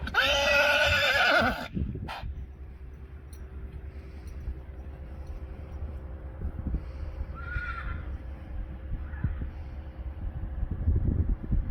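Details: Friesian stallion whinnying because he wants to go in with the mares, who are going in too: a loud, shaky, high neigh lasting about two seconds at the start, followed by quiet background rumble and a faint distant call.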